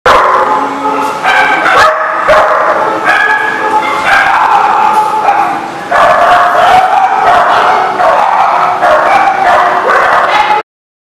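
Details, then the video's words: Several dogs barking at once, a dense, continuous chorus of overlapping harsh barks and higher yips with no real pauses, sharp new barks breaking in every fraction of a second until it cuts off abruptly. "The Barking Lot"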